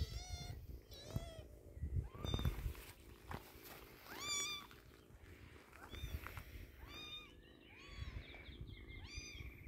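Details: During eye-drop treatment for its poor eyes, a kitten cries in repeated high meows, each rising then falling, about a dozen over the stretch, above heavy low rumbling and handling noise.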